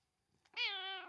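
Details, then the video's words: Domestic cat meowing for attention indoors: one clear, drawn-out meow about half a second long, starting high and bright, then sliding slightly downward and fading at the end. "My Cat wants my attention"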